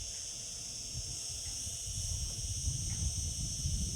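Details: Singing cicadas in summer: an even, high, metallic buzz sustained through the whole stretch, with a heavy, uneven low rumble growing louder toward the end.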